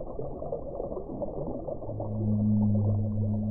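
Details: Whale song: after a murky, constant low rumble, a steady drawn-out moan with a fainter higher overtone swells in at about two seconds and holds to the end.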